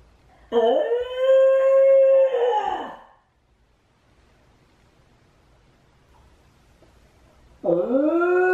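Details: Shiba Inu Chame, a lonely, clingy dog left home alone while housemate Mame is out on a walk, gives two long harmonic howls: the first scoops upward then holds steady, a quiet pause, then a second rising howl begins.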